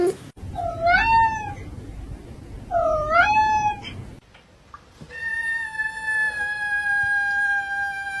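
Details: Domestic cat making strange, spacey sounds: two drawn-out wavering meows that rise and fall, followed by a long steady tonal whine held for several seconds.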